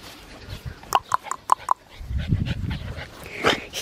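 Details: Australian Shepherd puppy, a black tri male aged 10 weeks and 6 days, at a breeding farm in Oklahoma, gives four short, high yips or whimpers in quick succession, followed by a woman's voice and rustling.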